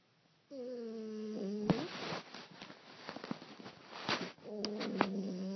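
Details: A sleeping 15-week-old female French Bulldog puppy snores loudly with a nasal, droning rasp between breathy exhales.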